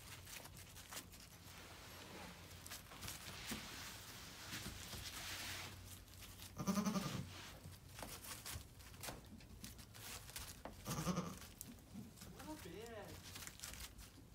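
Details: Two-day-old Nigerian Dwarf goat kids, Daisy's bouncy, happy twins, give two short, strained bleats spaced a few seconds apart, with a faint rising-falling cry near the end, over a low rustling, shuffling background.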